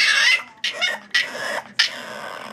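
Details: A male French Bulldog puppy argues at bedtime, talking back in a string of short, high, whiny grumbles when told to go to bed.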